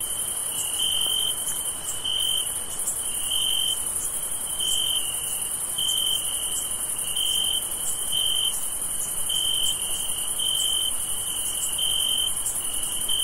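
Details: On a summer night, crickets chirp in steady, shrill pulses, with a thin continuous high trill above them.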